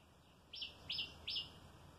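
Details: A squirrel hopping about as it comes for food at feeding time gives three sharp, high chirps, each a quick downward-sliding note, about a third of a second apart.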